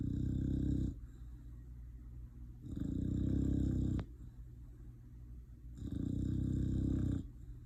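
An English Bulldog snores in its sleep, making three low, rough, rattling breaths about every three seconds. A brief sharp click sounds between two of the snores.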